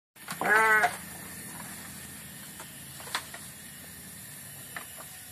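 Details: Sheep grazing on grass in a forest on a mountain peak at Geger Bentang, South Ciamis, gives one short, nasal, quavering bleat near the start, followed by steady outdoor hiss and a few faint knocks.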